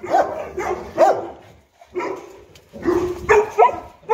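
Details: Two Boerboels, the African Mastiff couple Enzo and Diva in Egypt, playing together. Short yappy barks and whiny yips come in separate bursts, with a clear pause near the middle.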